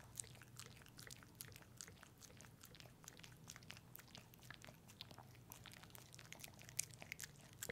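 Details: Lapping at a peanut butter treat, the dog Pepe makes quick bright smacks and clicks, tightly packed and irregular, with a few louder snaps over a quiet low background hum.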